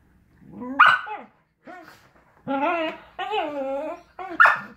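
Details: Samoyed puppy and miniature Australian Labradoodle at play; a string of about five whiny, yelping barks and drawn-out grumbling moans, rising and falling in pitch, within under five seconds.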